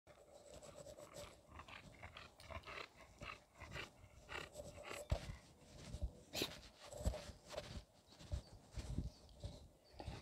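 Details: Rescue bulldog running at a park, breathing in rapid, rhythmic panting bursts, each a short breathy puff repeated several times a second across the whole stretch, with a few louder thumps and scuffs mixed in.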